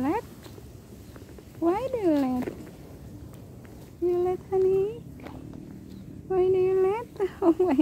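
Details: Pet cat meowing over separation from its owner: several harmonic meows, one rising then falling, others flat and held about half a second, with a woman laughing and talking to it between calls.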